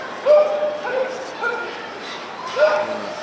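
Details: Working Border Collie barking during an agility run at the Westminster dog show 2020: a few short, sharp barks at roughly one-second intervals, with a louder pair near the start and end, over crowd noise and commentary.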